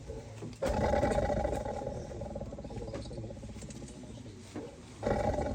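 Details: Caged tiger trapped in Wayanad, growling low and harsh through most of the recording, the rumble easing mid-way and then surging again near the end, with faint human voices in the background.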